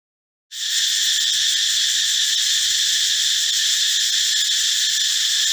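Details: Male cicadas (Meimuna opalifera or Pompania sp.) in a Thai forest, calling in the morning and sometimes at dusk, give a loud, steady, high-pitched buzz that starts abruptly and holds without a break; the sound comes from the male's abdominal muscles.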